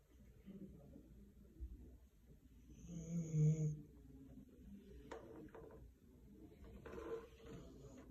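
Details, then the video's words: Snoring Siberian Husky indoors: low, rumbling breaths in a small room, the loudest snore swelling midway and then easing off, with softer breathy rasps before and after and a faint sharp knock near the end. "Snoring husky"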